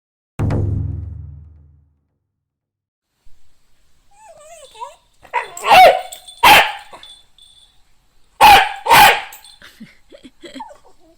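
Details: A Shiba Inu meeting a crab: after a low rumble and a pause, a soft whine leads into two pairs of sharp, loud barks about two seconds apart, with small yips in between.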